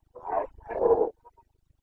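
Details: Carpathian stag of Bucovina in the rut, 29 September 2022; two rough, throaty roars run almost together, the second longer and stronger, then faint grunts.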